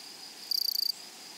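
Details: A single grasshopper in a flowery meadow gives a sharp, loud burst of about a dozen rapid, rasping pulses lasting under half a second. Its buzz rises clearly above a quiet, faint high insect hum in the background.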